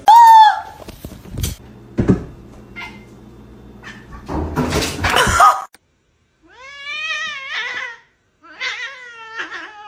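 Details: Cat screaming in a small room: after clattering noise and voices, two drawn-out wavering cries, each about a second long, separated by brief silence.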